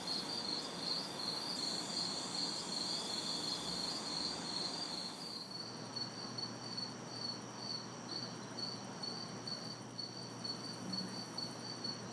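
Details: An insect chorus of crickets and cicadas on a hot, humid summer night in a city backyard. High rhythmic chirps pulse steadily throughout. A very high, shrill buzz drops away after about five seconds. Light traffic noise murmurs far off.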